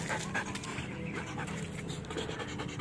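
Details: Belgian Malinois during a training session, panting steadily in quick breathy bursts with broadband hiss; a trainer's commands follow.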